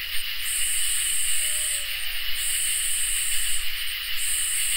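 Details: Summer night insect chorus of crickets and katydids: a steady high trill plus long, very high sizzling bursts separated by short pauses, with a soft low rumble and a faint brief low tone in the background.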